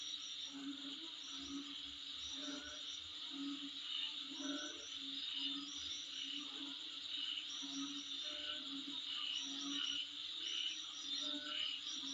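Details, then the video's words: Insect calling in front of a home: a steady high shrill buzz with brisk chirping pulses layered above it, while lower croaking bursts come and go in short groups. "Sound Of Insect In Front Of My Place"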